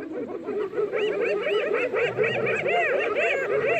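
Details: Pack of spotted hyenas mobbing a lioness in the Maasai Mara on March 17, giving continuous overlapping giggles, quick arched yelping notes repeated about twice a second, many callers at once.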